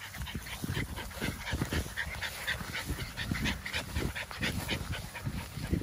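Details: Merle American Bully puppy panting: quick, breathy, rhythmic huffs that repeat several times a second with uneven loudness, plus faint low background noise.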